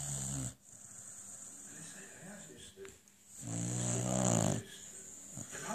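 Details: Beagle Lucy snoring while the television plays: one loud, rasping snore with a low harmonic rumble lasting about a second, over a steady hiss and muffled German TV dialogue.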